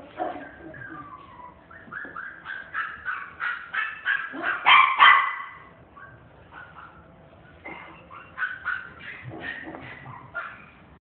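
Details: Miniature Dachshund at a pet shop, producing repeated high whimpering yips in quick, uneven runs, loudest around the middle, then a short pause before another burst of rapid whines.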